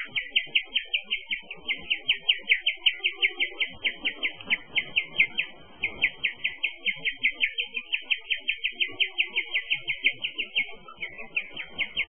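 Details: Guinea pig (Cavia porcellus), chirping.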